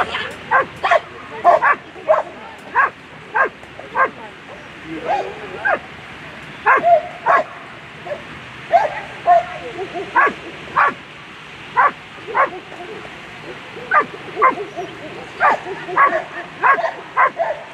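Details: German Shepherd in a world championship agility final, barking rapidly and repeatedly during the run, about two dozen clipped barks in under eighteen seconds, sometimes in quick doubles, with crowd and announcer noise underneath.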